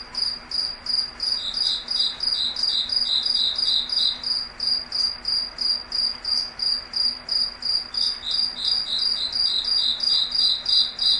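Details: Night chorus of crickets in a foggy forest, steady rhythmic high-pitched chirping about three pulses per second, two singers alternating at slightly different pitches, over a soft low background hum.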